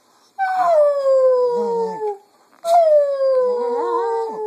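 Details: Afternoon singing by a female Cocker Spaniel kept as a pet, copying its owners' voices: two long mournful howls, each starting high and gliding down, with wavering lower warbles beneath and a short pause between.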